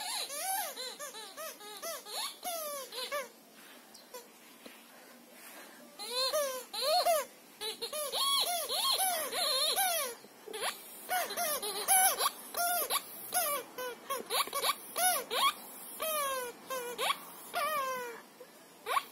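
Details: Siberian Husky Shira, playing with a squeaker football, gives a long, chatty series of yowling whines. Pitch swoops up and down in arches, broken by short pauses and occasional noisy squeaky bursts.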